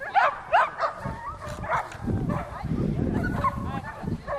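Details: Volk the whippet, training on a circular run at Novy Milet on 30 October 2016, lets out a few sharp yelps at the start, followed by fainter whines under low, broad rumbling noise.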